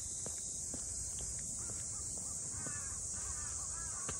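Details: At Ine no Funaya, the harbour townscape north of Kyoto, cicadas keep up a continuous high shrill buzz, unbroken throughout, while faint short clicks and soft chirping notes from other creatures sound lower down.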